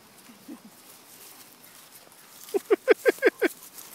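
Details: Mastiff puppies playing in a back yard: a few faint soft sounds, then a quick run of six short, sharp yelping barks, evenly spaced in the last second and a half.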